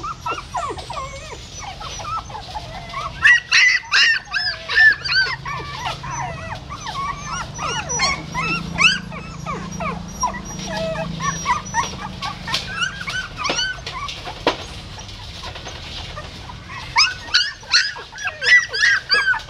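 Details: Newborn puppies born in a stupa hole at a pagoda in Siem Reap, their mother carrying them in her mouth to a new place; dense overlapping high squeaky whimpers and yips, rising and falling, bursts clustering early and late.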